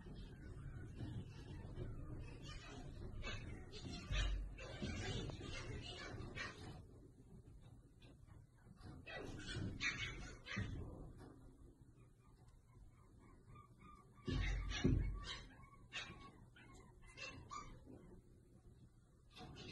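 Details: Chihuahua barking in sharp, high yips and short barks, delivered in rapid irregular bursts with pauses between volleys; human speech faintly mixed in the background.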